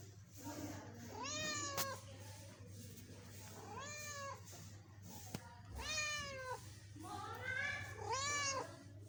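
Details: Young pet kitten, born a couple of months earlier, giving four separate loud meows a second or two apart, each rising then falling in a bent arc, with light clicks between calls.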